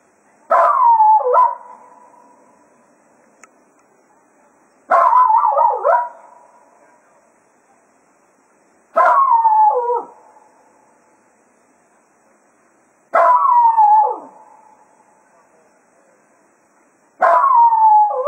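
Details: At Quail Roost as foxhunting ends, the Jack Russell Terrier Cato sends off the hounds with a steady series of five yodelling bark-howls, each bending down in pitch and repeating about every four seconds, with quiet gaps between.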